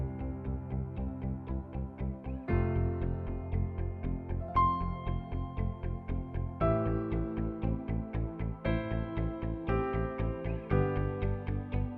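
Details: Soft plinking keyboard music, with chords changing every couple of seconds, is the only sound and no animal is heard.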